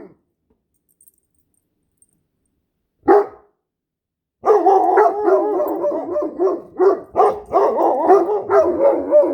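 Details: A Great Dane and a Standard Poodle, domestic dogs, vocalizing with weird noises: mostly quiet at first with one sharp burst, then from about four seconds a continuous run of wavering, yodel-like howling and yipping.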